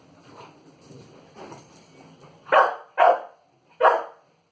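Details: Playful three-month-old pit bull puppy barking at an inflated balloon; soft muffled sounds build up before three loud, punchy barks, the last after a short gap.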